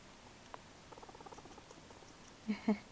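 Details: A male guinea pig being hand-fed gives a soft, fast-pulsed purr, a low rhythmic rattle showing contentment while handled. A couple of louder handling noises break in near the end.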